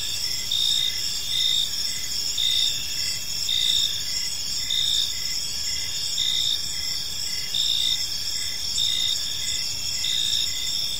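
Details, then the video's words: A serene park at dusk filled with cricket chirping: continuous shrill trills stacked in high layers, punctuated by evenly spaced short chirp pulses, steady in loudness throughout, faint distant rumble underneath. "Park Serenade: Cricket Sounds in a Peaceful Park | Evening Ambience"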